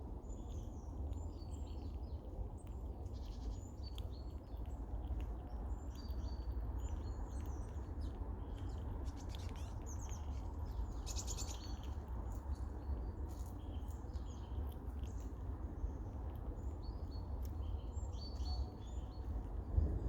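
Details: Red squirrel female, busy caching and munching nuts and seeds on a snowless day, squeaks and chuckles at two rival squirrels to claim the food: many brief high-pitched chirps and squeals in loose series above constant low ambient hum.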